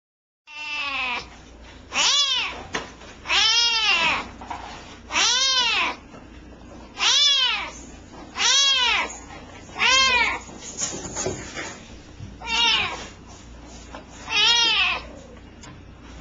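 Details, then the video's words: A very small kitten meowing loudly and insistently: a long run of strong, arched, harmonic-rich meows, each rising then falling, repeated roughly every one and a half to two seconds against faint background hiss. "The littlest kitten with the biggest voice!"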